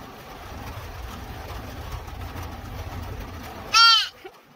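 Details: Young deer fawn, just rescued, lets out one sharp, high, nasal bleat near the end after a stretch of low rumbling background noise.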